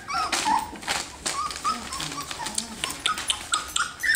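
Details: Three-week-old F1B Standard Goldendoodle puppies, a litter of ten, playing and play fighting; thin whimpers and squeaky yips come in quick bursts over rustling and scuffling.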